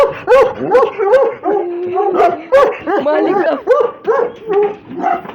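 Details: Russian Hounds tussling in play, loud and close: crowded, tangled yelps, whining cries and rough growly notes pile on top of one another almost without pause.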